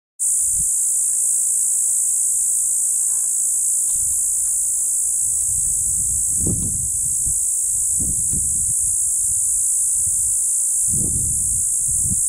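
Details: Hadoa inaudita cicada, formerly Tibicen inauditus, calling from a juniper tree near Bernal, New Mexico, along county road B28 by Santa Fe National Forest, June 30, 2012, 3:26pm; an unbroken, high, steady buzz runs throughout beneath low wind thumps.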